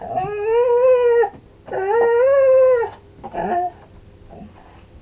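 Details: Dog making funny howling sounds: two drawn-out, slightly wavering tonal notes of about a second each, then a shorter rising-and-falling whine, indoors.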